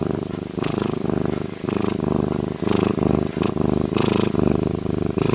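A lynx purrs in a deep, throbbing rumble, each breath a pulsing burst lasting about a second.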